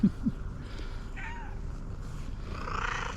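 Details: Fluffy female tabby cat, a late arrival, coming up to people and asking for love and food: one short, soft, slightly bending meow midway through, over steady low background rumble.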